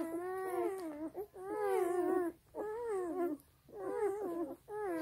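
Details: Black German Shepherd puppies nursing from their sleeping mother; high, wavering whimpering cries in drawn-out bursts of about a second, separated by short pauses, in a quiet indoor room.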